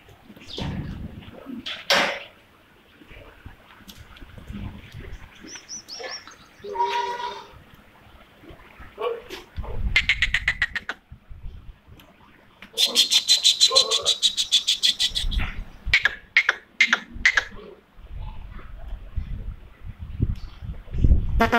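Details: Jamunapari goats bleating in a series of tremulous, pulsing bleats, including one long wavering bleat lasting about two seconds partway through and shorter bleats after it, with human voices and handling noises between calls.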